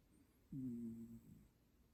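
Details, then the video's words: Mandu the cat gives a single low, buzzing snore lasting under a second in a quiet indoor room, steady in pitch with a slight fade at the end. "고양이 코골이"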